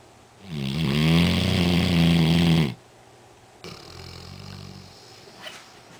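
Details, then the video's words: Duke, a black Labrador Retriever, snoring loudly while asleep: one long, rough, droning inhale of about two seconds, then a quieter, softer snore after a brief pause. "Duke, The Black Lab That Snores Really Loud"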